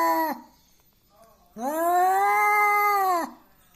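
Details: Bad-tempered domestic cat looking for a fight: a brief yowl ending, a pause, then a sustained arched wail lasting nearly two seconds.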